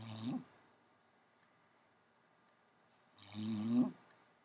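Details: Babs the dog snores softly, said to be louder at night; a breath ends at the start, then one rough, buzzy snore rises near the close after a long quiet gap.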